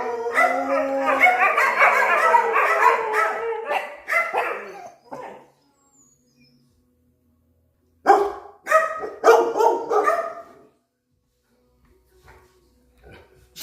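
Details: Dogs on high alert at a countryside retreat. A long howling, yowling bark stretches through the first four seconds, fades into silence, then a second burst of several sharp harmonic barks follows before quiet returns.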